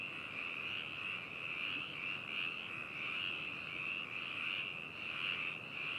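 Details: Many frogs croaking together in Hakushu, Hokuto City, Yamanashi Prefecture, Japan, 4 May 2018, binaural recording: continuous high-pitched trilling croaks with uneven swells every second or so, forming a thick, constant chorus.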